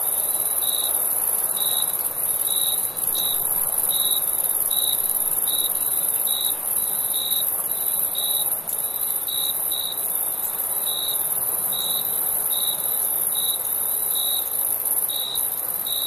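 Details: Summer crickets chirping at night, a long run of short high chirps repeating a little faster than once per second, sometimes paired, against a constant sizzling high-pitched chorus with occasional faint clicks.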